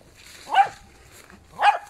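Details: Twelve-month-old Jack Russell Terrier confronting a young wild boar in an apple tree garden behind a house: two sharp, mid-pitched single barks about one second apart, quiet between them.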